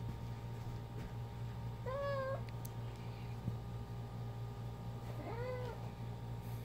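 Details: Ginger the cat mumbles while playing fetch with her favourite toy at home: two separate short, slightly rising-then-flat meows several seconds apart over a steady low indoor hum.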